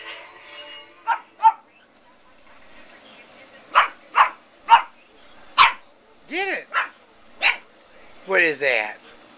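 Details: Zoey the Pug puppy, 9 to 12 weeks old, indoors: short yappy barks at irregular intervals, then two drawn-out arched whines and a longer quavering yelp, with a person's voice faintly at the start.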